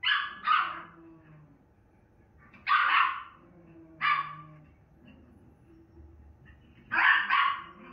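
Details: A female Miniature Schnauzer, watching herself on TV, barks in short, rough bursts, sometimes two in rapid succession, then falls quiet for a second or two, with a faint low television hum underneath.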